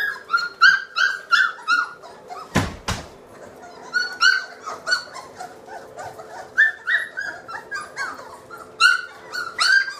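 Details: Three-week-old British Labrador puppies from a litter of seven, whelped May 2014, indoors in a nursery; many high, wavering whines and squeals repeat about twice a second, with one sharp knock midway.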